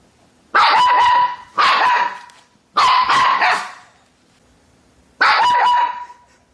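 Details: Domestic dog barking loudly, four long harsh barks spaced a second or more apart, each ringing with a strong steady tone.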